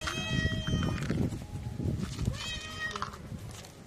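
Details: Hungry street cats meowing before being fed: two drawn-out, harmonic meows, one lasting about a second and another shorter one later, over a steady low rumble of background noise.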